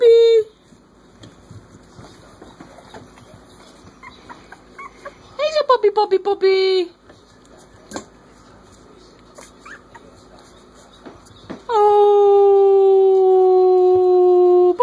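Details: Three-week-old Corgi pups howling in chorus: a short note opens, then a pulsed, falling whine midway, and finally a long, steady, harmonic-rich howl held unbroken for the last three seconds.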